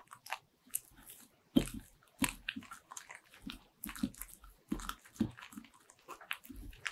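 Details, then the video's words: Indoor recording of a Bichon Frise biting into butter-ring cookies: distinct loud crunches spaced roughly every half second to second, separated by brief quiet gaps and softer chewing. "강아지가 너무 잘먹는 버터링!!"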